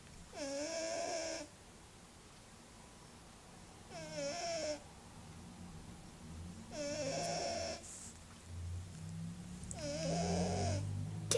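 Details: Small pet cat, sleeping and snoring noisily: four loud, rasping snore bursts, each about a second long and repeating roughly every three seconds, with a soft low rumble between them.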